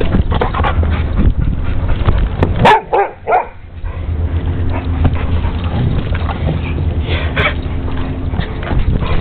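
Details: Pit bull and boxer dogs playing together in a yard; a few sharp bark bursts close together near the middle, over a steady low rumble of background noise.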